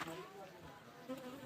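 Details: Honey bees around a bee house produce a steady, droning buzz of stacked low tones that swells briefly louder toward the end.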